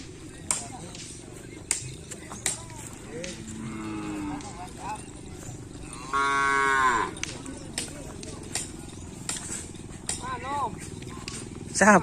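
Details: Bull race (Kerapan Sapi) cattle training at Lap Asemanis on 6 November 2022, ahead of the Griduh Onggu Kalajengking anniversary race. Faint, scattered lows build to one loud, drawn-out moo, and a later short call follows, amid sharp intermittent clicks and background murmur.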